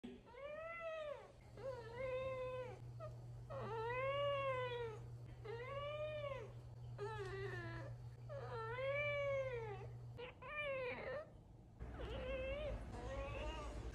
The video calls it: Siamese Cats Talk... A LOT 😹